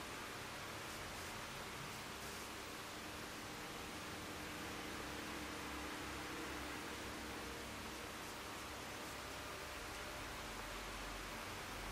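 Steady broadband hiss and low hum throughout, with no animal calls.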